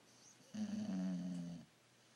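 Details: Bulldog snoring during an afternoon nap indoors: a single low, rumbling snore of about one second with a steady buzzing tone, then a quiet room.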